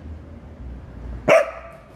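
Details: A Welsh Corgi confronting a praying mantis gives a single sharp bark.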